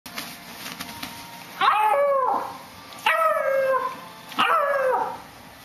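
A bloodhound puppy gives three short, wavering howls, each bending up and then sliding down in pitch.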